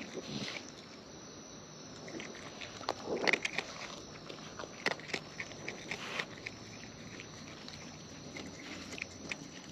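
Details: Close-range wild raccoons eating: sparse, sharp crackling bites and smacks, clustered loosest in the middle, over a quiet outdoor background hiss.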